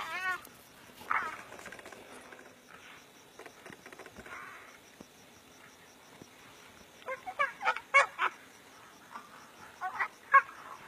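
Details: Two brown hyenas (Hyaena brunnea) fighting seriously in the African bush, January 18, 2016, squeal and yelp in harsh, broken bursts of aggression.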